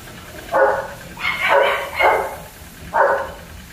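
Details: Four yapping barks from German Shepherd pups kept at Zondiram Kennel, irregularly spaced with a pause before the last, the middle pair running close together.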